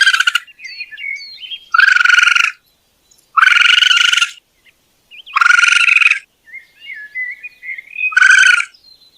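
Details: Raccoon voicing a series of five harsh, pulsed, harmonic trills roughly every one and a half seconds, interspersed with soft, wavering high whistles and chirps.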